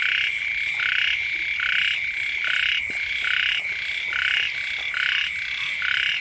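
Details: Frogs calling beside a house as the first rains arrive: a dense chorus of rasping, pulsed croaks in short bursts about once a second, several callers overlapping over a steady high-pitched drone.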